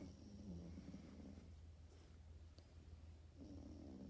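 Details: French Bulldog puppy snoozing and snoring: a raspy, low snore at the start, a quiet pause, then another snore resuming near the end, over a steady low hum.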